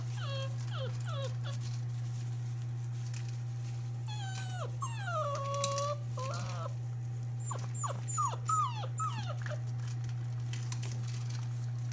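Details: Black British Labrador Retriever puppies, six weeks old, from a litter of three males and three females born January 17, 2017, on the day of their vaccinations: repeated short whimpers and whines, often falling in pitch, coming in bursts over a constant low hum.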